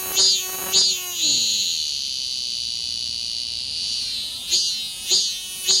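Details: Cicada clinging to a window screen in a city, calling in the early morning before sunrise like an alarm clock: a loud, high, continuous buzzing drone, broken by pulsing bursts at the start and end.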